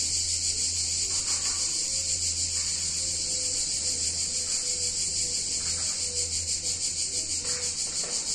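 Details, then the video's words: Cicadas singing in a hot summer day in an Italian town, a continuous high shrill buzz with fast rhythmic pulsing, faint short tones and a low background hum. "Cicadas In Warm Summer Day In Italian Town"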